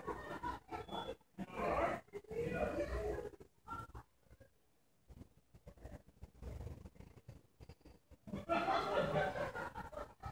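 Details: A sleeping English Bulldog, possibly a bulldog mix, snores in long, rough, rattling breaths with a quiet pause between them.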